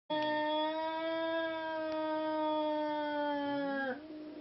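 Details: Seal Point Siamese cat during an attempt to mate two cats: one long, steady, tonal yowl held for nearly four seconds at an even pitch, rich in harmonics, dipping and cutting off abruptly at the end.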